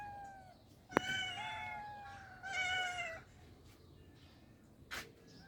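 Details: Cats living in the countryside; two drawn-out, harmonic-rich meows, the first steady and the second rising then falling, separated by a sharp click, with another short tap near the end.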